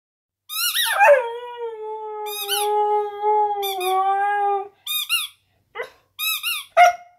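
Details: A female Siberian Husky puppy howls for her squeak toy on a bed: a long, steady, slightly falling howl broken by sharp high squeaky notes.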